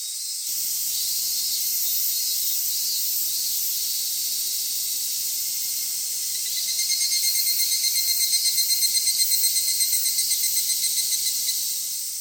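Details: Cicadas in a Japanese summer at Michinoku Folk Village or Kitakami Tenshochi, Kitakami: a steady high hissing drone, then from about seven seconds a louder pulsing, ringing chorus layered on top, throbbing several times a second.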